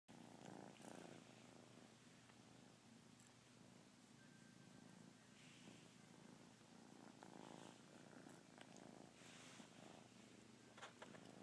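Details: Kitten purring on a lazy day, a steady low rumbling purr that runs unbroken through the whole stretch with a faintly pulsing texture, plus a few soft clicks and rustles.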